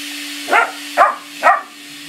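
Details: Frank, a black Labrador puppy, barks at a central vacuum hose indoors. Three short, sharp barks come about half a second apart over a steady low mechanical hum.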